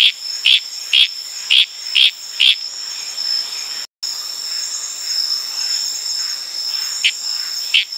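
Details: Wild Litoria frog calling at night in Tanimbar's tropical forest, Indonesia: five quick clicking notes about every half second, a short silence, then two fainter notes, backed by an unbroken shrill chorus of crickets and insects.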